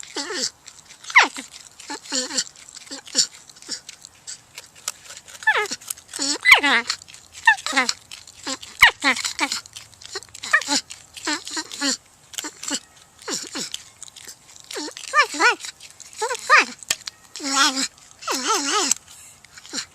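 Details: Porcupine chattering in a long run of brief squeaks, whines and short moans, closely spaced and irregular, interspersed with steady rustling, scraping and occasional clicks.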